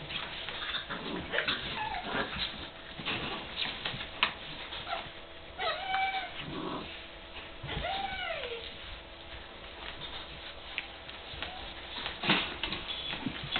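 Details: Seven-week-old sibling puppies playing hard together in their puppy area, giving high whines that rise and fall in arcs, short yips and scattered scuffling noises, with a busy, rough background throughout.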